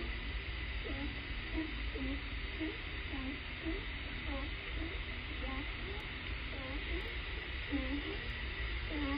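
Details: California sea lions barking, heard on a hydrophone off Point Robinson, Vashon Island, Puget Sound, WA, USA, likely at the sea surface; short muffled arched notes in quick, uneven series, possibly stopping when an outboard boat disturbed them.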